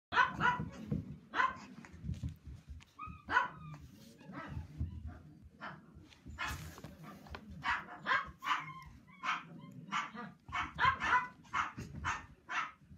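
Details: Male Toy Poodle puppy born in March 2018, always bouncing around wanting to play, barking repeatedly in short bursts, many sharp barks through the clip with some quicker runs and a low background rumble.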